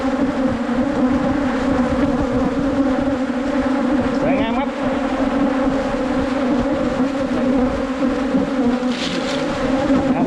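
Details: Wild Asian honey bees on a 2022 honey hunt fill the air with a dense, even buzzing hum. Short sliding voice sounds appear near the middle and a brief higher chirp near the end.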